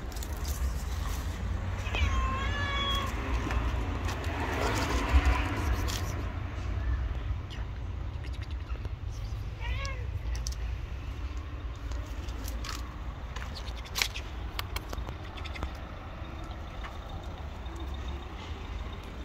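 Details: Angry white street cat, afraid of a dog and making aggressive movements, gives a few faint, bending meows with clear overtones, one early and one midway, over a steady low background rumble.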